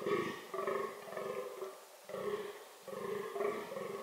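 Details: Fallow deer (Dama dama) during reproductive behaviour, giving four deep, pulsed, belching groans in quick succession, each about half a second long and separated by short gaps.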